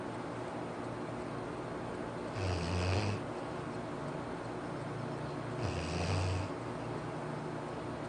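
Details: Sleeping Labrador Retriever Arfie gives two rasping snores about three seconds apart, low buzzing rumble topped by a breathy hiss, quiet steady hum in the pauses.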